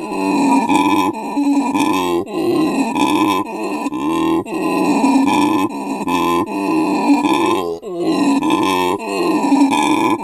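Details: Howler monkey male calling at Monkeyland sanctuary, South Africa, his family of mate and three young close by; loud guttural grunting roars rising and falling, delivered in rhythmic bursts separated by short gasping pauses.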